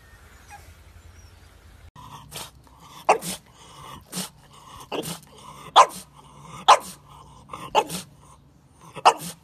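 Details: French Bulldog puppy barking in a sharp, sudden series, roughly one bark per second, with softer grumbling sounds between the louder barks in a quiet room.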